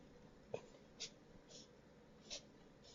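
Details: A four-month-old mini Dachshund puppy that couldn't stop sneezing sneezes in quick, soft, breathy bursts, several in a row about half a second apart.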